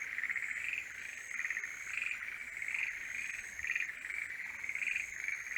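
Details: Forest green tree frogs in their mating season sing together, rough repeated croaks pulsing about every second, layered over a persistent high thin tone from other callers.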